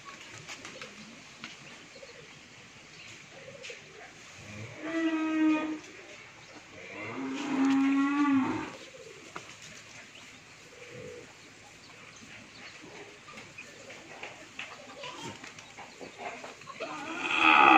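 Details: Sahiwal Sindhi bull calves, a pair kept at a dairy farm in Bhangura, Pabna, Bangladesh: two drawn-out harmonic moos, the first short, the second longer and wavering, separated by quiet barn noise.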